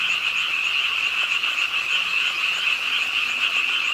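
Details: Frogs at a city park pond in Suwon, calling with the rainfall late at night; a loud, rapid, throbbing trill of overlapping voices over a rain hiss.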